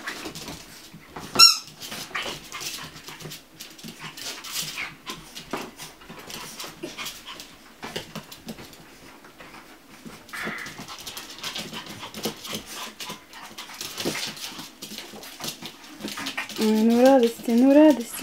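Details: Chihuahua puppies at a kennel: a long stretch of soft snuffling and rustling, then rising, high-pitched whines at the very end, two in quick succession.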